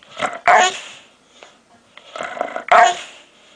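A dog makes odd, harsh, throaty vocal noises in two bursts, indoors.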